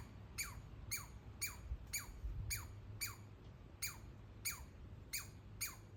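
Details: A young squirrel living in a backyard walnut tree gives rapid, high squeaks that each sweep sharply downward, like little laser zaps.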